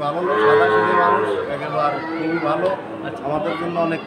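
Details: Sahiwal breed bull calves bought by a farmer in Jessore, Bangladesh, on 13 March 2023: a low, drawn-out harmonic moo rises early and fades, set against steady crowd chatter and voices.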